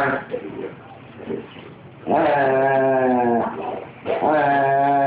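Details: Foxy, a Doberman puppy close to ten months old, throwing a tantrum: after a quiet low start, two drawn-out, tonal, moaning grumbles about a second and a half long each, rich in harmonics and slightly falling.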